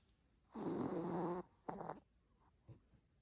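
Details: Sleeping Chihuahua snoring: one long, rough, droning snore lasting almost a second, then a shorter snort-like breath and a faint sniff in an otherwise quiet room.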